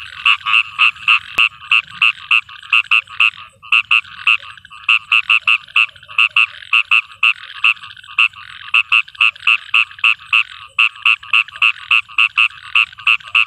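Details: Frog singing at night in a rain-soaked field, a rapid run of short croaks roughly three or four a second with brief pauses, over a faint low hum.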